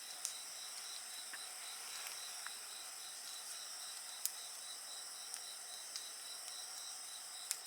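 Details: Continuous insect song by a bonfire: evenly pulsed high chirping and shrill overlapping tones hold steady while scattered pops and crackles of burning wood sound through.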